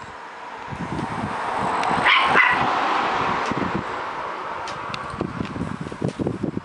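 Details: A dog barking at a car: a run of short, rough barks repeated several times a second, with the rumble of a passing vehicle swelling in the middle.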